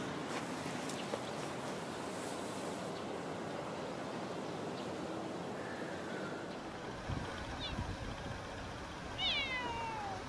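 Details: Talkative female stray cat that always stays in a park car park: two clear rising-falling meows near the end of the clip, the second longer and sliding downward, with a faint earlier meow over steady broadband outdoor noise.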